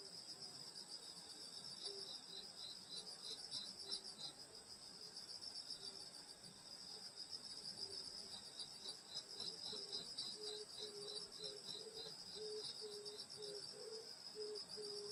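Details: Insects singing on a summer night in the countryside at a grandmother's rural home in Korea: a dense, steady high shimmering trill, with pulsed chirps repeating throughout and a softer lower pulsing chirp rising through the second half.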